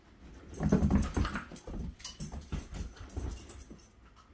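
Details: A Basenji gives low, rough growls and snuffling grunts in short bursts while attacking a toilet paper roll.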